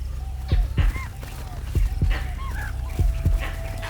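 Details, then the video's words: Langur warning barks raised at a leopard in Sri Lanka, mixed with spotted deer's panicked alarm hoots: sharp, deep, booming barks in pairs, three pairs about a second apart, with thin arching whistled tones between them. "The langur's warning barks join the spotted deer's hoots of panic."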